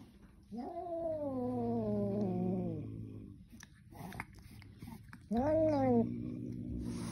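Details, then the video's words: Angry kitten yowling: a long wavering, gradually falling cry lasting over two seconds, then shuffling and soft noises, then a shorter, louder arched cry near the end. "Angry kitten"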